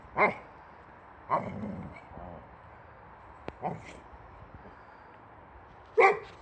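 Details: Swedish male Boxer dog barking angrily at the tire on a wheelbarrow: four short sharp barks spaced irregularly over six seconds, with quiet background between them.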